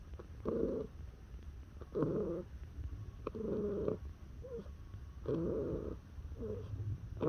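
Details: Neutered male house cat born 18 September 2017 vocalizing under touch: short rolling trill-grunts repeated roughly every one to one and a half seconds, each with a buzzy tone, above a faint low purr.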